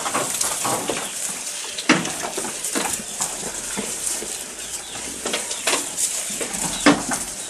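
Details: Close-up goat feeding: dry crackling munches and snaps repeat rapidly throughout, with a few louder crunches standing out, and no bleats.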